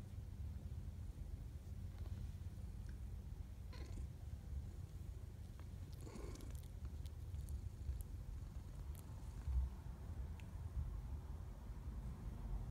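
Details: Low continuous purring, with 12-day-old kittens nursing and squirming beside their mother, a rescued former outdoor cat. The deep rumble holds steady throughout, broken by a few soft rustles and clicks of movement.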